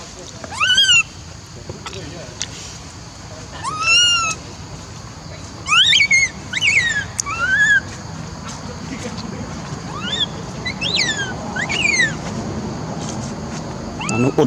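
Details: A monkey gives shrill, rising squeals in short bursts, each with a quick upward sweep and fall; the sound is treated as alarming, with the cause unclear.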